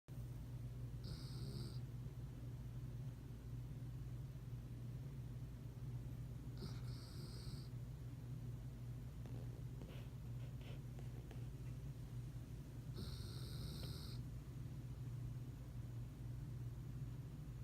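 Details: Colt, asleep and snoring. A low, rumbling drone runs throughout, with a breathy, hissing surge roughly every six seconds, three cycles in all.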